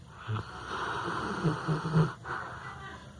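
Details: A sleeping dog named Firulais snoring: a low, rough rumble under a breathy hiss, swelling into a few throaty pulses near the middle before easing off, with a faint steady background noise.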